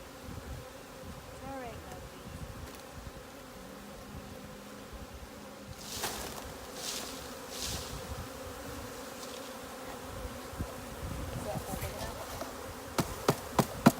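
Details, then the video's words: Honey bee swarm being caught at Wind Horse Sanctuary in April 2018; a faint steady droning hum fills the background, with brief human voices, soft rustling and a run of sharp taps near the end. "Bee swarm"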